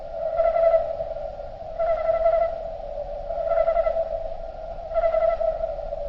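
Cricket chirping slowed down into a steady, choir-like hum that swells about every second and a half.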